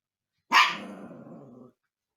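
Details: Umka, a young husky pup bothering the resident cats indoors, lets out one loud high bark that trails into a drawn-out rough, growly tail lasting about a second.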